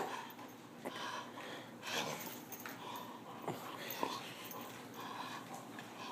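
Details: A male Bull Terrier playing tug-of-war and fetch indoors gives short, thin whines and breathy huffs over steady background rustling.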